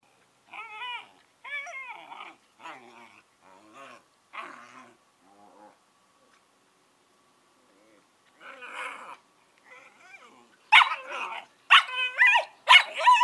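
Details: Two 11-week-old Collie puppies vocalizing indoors: short harmonic whines and yips in separate bursts, a quiet gap mid-way, then louder, higher wavering howl-like whines near the end.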